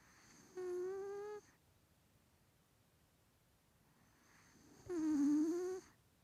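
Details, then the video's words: A male Maine Coon cat, 3 years old, with a bad nose, snores while asleep, giving two drawn-out, buzzy, tonal breaths about four seconds apart. "メインクーンのいびき/Maine coon cat snoring...."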